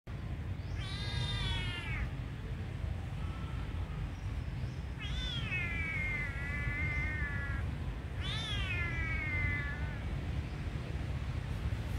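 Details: Tiny kitten crying, apparently in need of help: three drawn-out, plaintive meows, each starting high and sliding slightly downward, spaced a few seconds apart over a steady low rumble.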